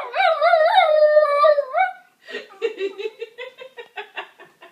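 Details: Pet dog reacting to a smoke detector: a wavering howl for about two seconds, then a run of short rapid yips and whimpers repeated several times a second, fading toward the end.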